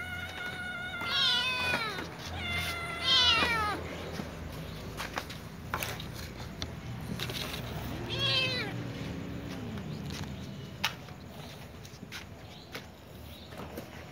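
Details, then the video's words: Ginger kitten and young white cat with other cats asking for food; two loud harmonic meows early on, a lower falling meow near eight seconds, then quieter background with occasional taps. "Little ginger cat meows with young white cat asking for food with other cats too"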